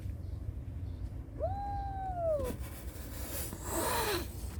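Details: A single plaintive kitten cry searching for its mother: a thin drawn-out tone, held steady then sagging at the end, lasting about a second. Low background hum with rustling afterwards.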